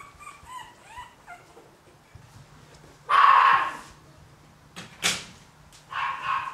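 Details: Yorkshire Terrier puppies at a breeding kennel in Warsaw, Poland: thin, high whimpering whines with rising harmonic sweeps open the recording, then one loud sustained yelp and two sharper, brief yips follow against a quiet room.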